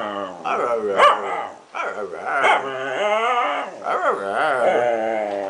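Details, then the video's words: Toninho, a small dog 'talking' with his owner, gives three drawn-out moaning yowls, each starting with a bend in pitch and trailing off, separated by short gaps. "Cute talking dog - Toninho - o cachorro falante"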